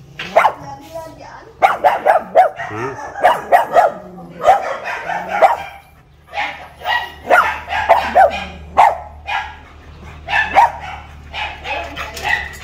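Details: Newly gifted pet pug, caged in front of the house and unused to its new home, barks while being teased, guarding the house. Irregular clusters of barks overlap with people talking throughout.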